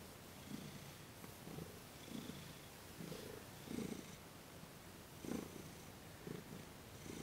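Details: A cat named Thomas purring while receiving massage and Reiki, December 28, 2021; low rumbling purr in rhythmic pulses about every second and a half, each breath cycle swelling and fading, quiet indoor setting.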